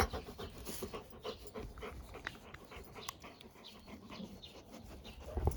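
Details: A Labrador Retriever enjoying life, relaxed and calm, breathes in soft, irregular, quiet pants over a low background hum, with a faint touch of a person's voice near the end.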